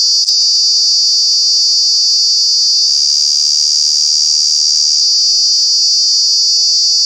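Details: Summer cicadas at Kanha National Park produce a very loud, continuous high-pitched buzz, a sharp click at the start, then a steady piercing drone with a slight change in texture midway.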